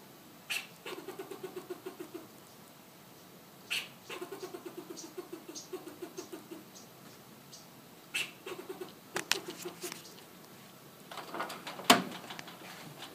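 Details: A fox squirrel in Southern California calls: a sharp note, then a rapid run of low, pulsing chucks, repeated several times.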